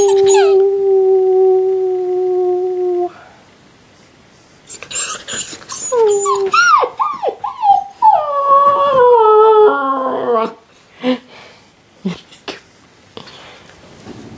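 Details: Alaskan Malamute puppy named Hudson, newly brought home, howling early in the morning indoors: a long steady mournful note, then a pause, then a wavering run of rising-and-falling howls and yips that break into short whimpers.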